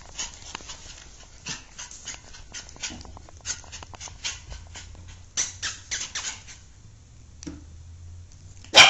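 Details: Black male miniature poodle giving a run of short, sharp, high yappy barks in irregular bursts, several close together then pauses, with a louder bark at the very end.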